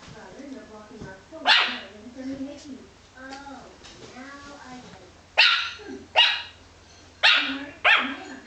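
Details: Yorkshire Terrier puppy, female, indoors after breakfast, barking at a wall: soft low grumbles and muffled woofs, then four sharp high yappy barks spaced about a second apart near the end.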